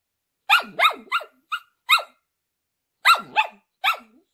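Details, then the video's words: A female Shetland Sheepdog sings loudly and off key: a burst of five high, arching yips, a short pause, then three more, with no other sound. "Shetland Sheepdog Sings"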